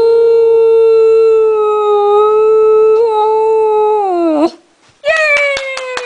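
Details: Samoyed howling along indoors right after a sung Happy Birthday; one long, steady, pure-toned howl held about four seconds before sliding down and breaking off, then a second rising howl begins after a short pause.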